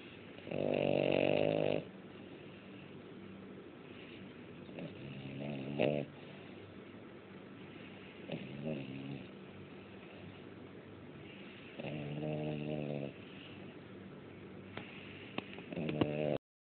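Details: Ninna, a pet dog, asleep and snoring: five rough, harmonic snore bursts at uneven intervals, the first and fourth lasting about two seconds, the others shorter, with near-quiet room stillness between them.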